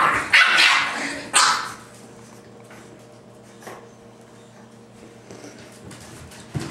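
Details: Mr Bear, a 7-week-old English Bulldog puppy, playing roughly with his littermates: two loud, harsh, broadband yelping barks in the first two seconds, then quieter scuffling and faint vocal bits, with a sharp sound at the very end.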